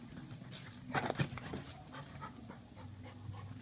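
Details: Pet female Chow Chow described as wild and crazy, panting: quick breathy puffs of air in a short burst, mixed with soft rustling and handling noise close to the microphone.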